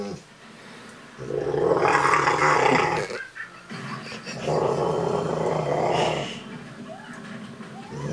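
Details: Ariel the Rottweiler being cuddled and making rough, growly, talking sounds in two long breathy bursts of about two seconds each, then quieter rumbling, with faint voices in the background.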